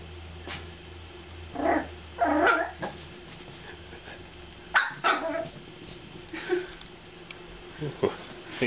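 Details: Aspen, a 7-week-old female Jack Russell Terrier puppy, stalking her kibble dinner: a few short, sharp yapping barks come in quick bursts, with a person talking between them.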